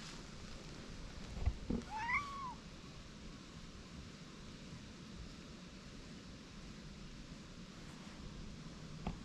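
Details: A white cat and a Siamese cat, stray cats that quarrelled and quickly made up, sitting side by side on a bench outdoors; one clear rising-then-falling meow after a short thump, over steady low outdoor rumble.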